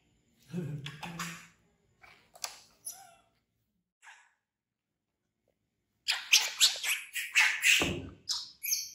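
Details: Infant monkey Bean, an orphan picked up from the jungle by villagers, screaming in fear of a crocodile; a few short cries and a thump, then a burst of loud, harsh, rapidly repeated squeals in the final seconds.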